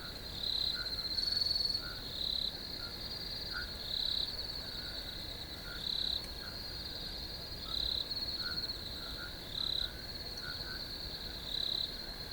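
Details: Field crickets chirping: a constant high shrill drone, with louder chirp bursts about every two seconds and quieter lower chirps scattered underneath.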